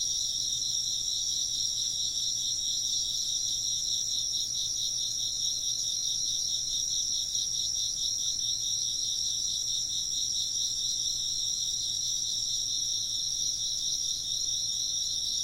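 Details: Insects chirping together in a continuous ambient soundscape for work or sleep: several high, tightly stacked trills form a rapid wavering buzz that never pauses, and nothing else stands out.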